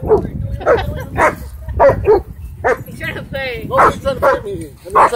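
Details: Dog playing at a dog park, its owner worried it would start a fight; short sharp barks come in quick bursts through the clip, overlapping a person's excited talking.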